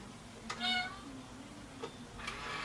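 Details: Domestic cat giving one short, bright meow with stacked harmonics, followed by a faint low murmur and a couple of soft clicks in a quiet room.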